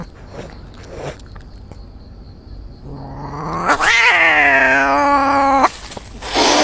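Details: Injured cat outdoors in a forest, a quiet rising moan swelling into a loud strained harmonic wail lasting about two seconds, followed by rustling noise.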